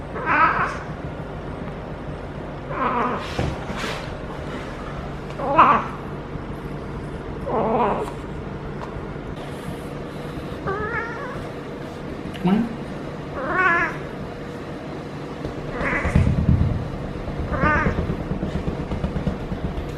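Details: Feral female cat in her first heat cycle, rolling while a person pets her lower back, caterwauls repeatedly: about ten wavering, drawn-out yowls with shaky harmonics, spaced one to three seconds apart, over a low indoor hum with faint rustling.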